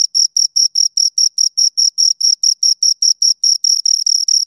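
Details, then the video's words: Two crickets chirping, a pure high-pitched pulsed chirp repeated about every quarter second in an even, steady rhythm, with no other sounds. "Two Crickets Chirp Sounds"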